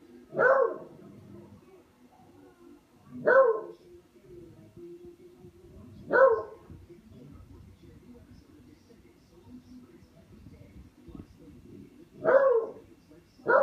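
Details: While playing with a katydid bug, Buster the dog lets out single loud barks every three seconds or so, five in all, with a long quiet gap of low background rumble in the middle.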